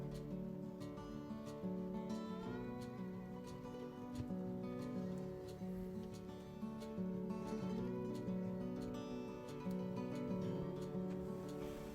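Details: Plucked acoustic guitar music plays steadily, with strummed chords and a low sustained bass line and no animal voice.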